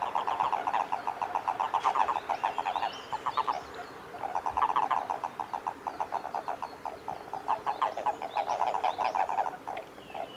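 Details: Japanese common toads in amplexus (mating) at Kawaguchiko Field Center, Japan, on 22 April 2018 give rapid, low, pulsed croaking trills in bursts lasting a second or two.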